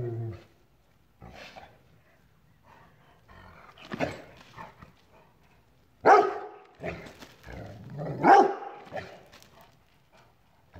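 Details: A Rottweiler confronting a chair gives a few loud, gruff barks with low growly sounds in between.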